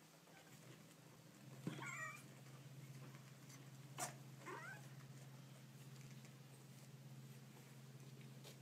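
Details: Baby kittens making cute noises: two short, high mewing calls with stacked bright harmonics, one near the start and a second a few seconds later, over a steady low electrical hum and quiet room noise.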